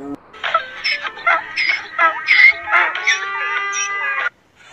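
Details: Donkey braying, a harsh, strained cry in a rapid series of pulsed, rising-and-falling blasts over about four seconds, each burst rich in stacked harmonics, ending abruptly in silence.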